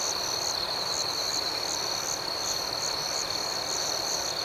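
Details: Nighttime crickets chirp in a continuous high, shrill drone, with a rhythmic train of brighter pulses repeating roughly three times a second over it. No other sounds stand out.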